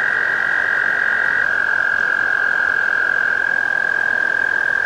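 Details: American toad (Anaxyrus americanus), trill.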